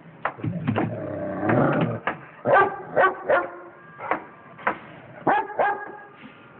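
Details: Friendly pet dog barking at a familiar cat it knows, short sharp barks in irregular bursts with a longer whining, growly stretch early on, pauses of about half a second to a second between barks.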